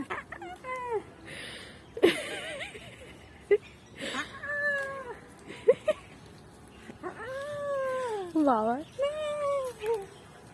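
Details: Baby goat jumping and playing, yelling in a series of wavering, nasal bleats that rise and fall, several quick ones in a row near the end, with sharp knocks and handling sounds between them.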